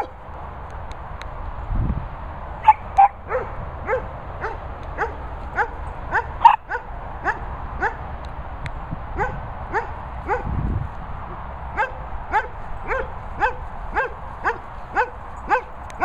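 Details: Dogs at a Worcestershire countryside training and boarding kennels, a Cavapoo with German Shepherds, barking in a steady repeated series of short sharp barks about twice a second over a constant hiss of background noise.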